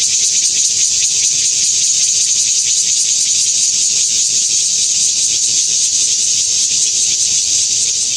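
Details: At Xinshan Reservoir, Keelung, Taiwan, on 26 August 2021, a Taiwan bear cicada (Cryptotympana takasagona) sings under blazing sun, a loud, continuous, high-pitched buzzing drone without pause.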